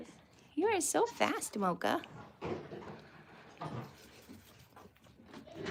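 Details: Goats at The Willful Goat Farm & Home: a run of four quavering, wavering bleats in quick succession in the first two seconds, followed by quieter indistinct rustling and murmuring.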